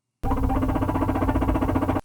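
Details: A male domestic guinea pig (Cavia porcellus) gives its courtship purr, a low, soft, low-intensity broadband rumble of brief, similar pulses lasting nearly two seconds.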